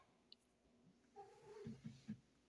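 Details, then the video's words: A pet cat gives a sweet chirp: a soft, brief trilled call that rises slightly, followed by three short low pulses, in an otherwise quiet setting. "cat has the sweetest chirp"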